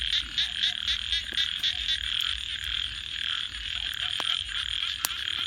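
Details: Night frog chorus by a campfire, a fast run of pulsed trilling notes, several per second, early on, then a continuous shrill chorus, with scattered crackles and one loud pop from the fire.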